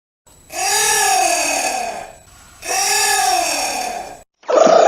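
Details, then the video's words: Anteater giving two long, moaning calls of about a second and a half each, rich in stacked harmonics that dip then level off, separated by a short pause, followed by a brief louder burst at the end. "Голоса мураведа звуки животных как звучит муравьед ?"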